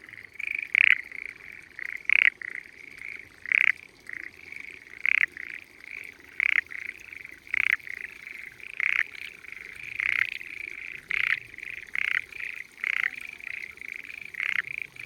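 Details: Spring frogs hidden in the water of quiet mountainside rice fields in Japan, calling loudly: a steady chorus of short, bright croaking pulses, repeated about every half second to second with overlapping callers.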